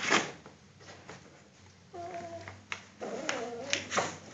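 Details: Belgian Malinois puppy indoors. It gives two high, wavering whines with stacked tones, one brief and one longer. Soft thumps and handling noises come in between, against a low steady hum.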